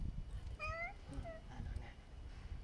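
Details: Domestic cat of an eel restaurant owner, filmed outside at night in June, its voice likened to Kuri's; a rising meow followed by two shorter mews, with women chatting in Japanese and low rumbling background noise.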